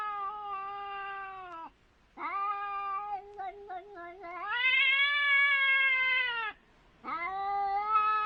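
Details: A pair of cats encountering each other: prolonged yowling moans with stuttering, broken pulses in the middle, then a loud rising, sustained wail, a brief gap, and another long cry.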